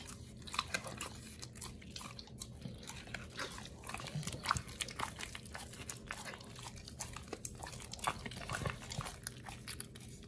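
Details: Two dogs, Oli and Nomy, eating raw meat on a prey model raw diet, recorded November 2022: irregular wet crunching and biting with sharp clicks scattered through steady soft smacking.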